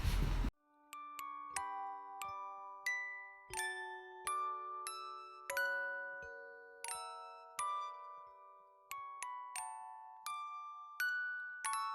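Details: A brief burst of noise at the start gives way to a gentle glockenspiel lullaby of ringing, decaying chime notes, with no animal voices.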